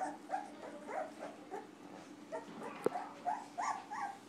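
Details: Two-week-old Golden Retriever puppies in a litter whimper and squeal in short, overlapping bursts, several voices calling at once.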